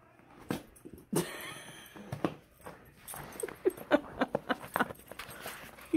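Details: Tonka the pet Alaskan Malamute, eager for more ice cream, lets out a string of short, uneven whines and yips that come closer together toward the end, ending in a sharp final yelp, with a woman talking nearby.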